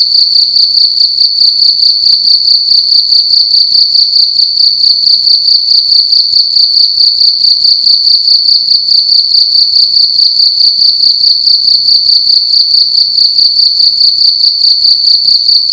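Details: Loud nighttime chirping of a cricket indoors in a room, a continuous high ringing trill broken into quick regular pulses, about two per second, nothing else audible over it.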